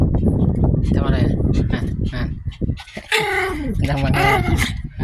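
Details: Pomeranian dogs fighting over a toy, giving low rumbling growls throughout, with short harsh whiny vocalizations breaking in near the end over a steady indoor background.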